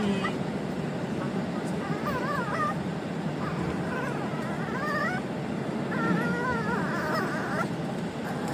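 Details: Dog making an odd noise: wavering, warbling high whines in short bursts, rising and falling like a yodel, over a steady low background hum with some human speech.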